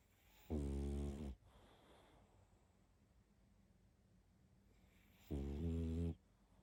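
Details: Snoring from a pug deep in sleep: two strong, harmonic, vibrating snores of nearly a second each, about five seconds apart, with hushed breathing between.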